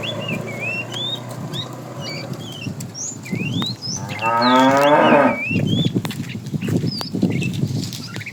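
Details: A herded tame cow on the morning walk to green pasture gives one loud, wavering moo of about a second, set against busy bird chirps and scattered crackling and shuffling.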